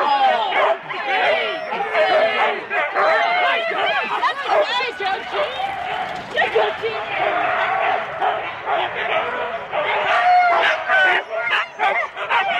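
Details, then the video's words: Husky sled teams of four dogs at the start of a race, Rendlesham, January 2016, recorded on analogue cassette: a dense chorus of excited barking, high yelps and whines from many dogs, overlapping continuously, with people's voices mixed in. "4 dog Husky teams - the complete start"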